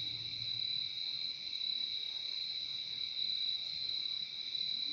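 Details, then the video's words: Crickets giving an unbroken, piercing trilling chorus for relaxation, high tones sustained evenly throughout, a brief faint low hum near the start. "Relaxing sound of crickets"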